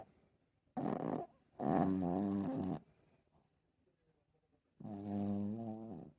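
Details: A Chihuahua's big snore, heard as buzzy, tonal rasps of one to two seconds that waver slightly in pitch, separated by a quiet gap of about two seconds.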